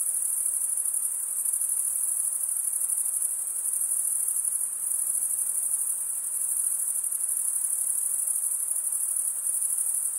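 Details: Steady, piercing high-pitched chorus of stridulating crickets, wing scraped against toothed wing vein, running without pause for the whole stretch, with quiet hiss underneath and no other clear sounds.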